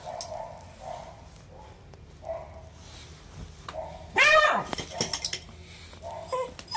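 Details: Shiba Inu dog giving a painful cry after a cat's paw strike while pestering the cat indoors. It is one sharp, high, rising-then-falling yelp midway, surrounded by soft Japanese speech from people nearby.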